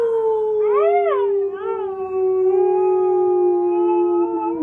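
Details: Circe, a pet Siberian Husky, howls along with her owner during a break from playing music. One long, steady howl sinks slowly in pitch throughout. A second voice briefly rises and arches above it near the start.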